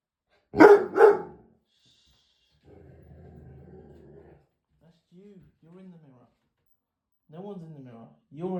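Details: Dog barking at its own reflection in the mirror: two sharp barks in quick succession, then a low hum and a person's soothing, rising voice telling it to hush.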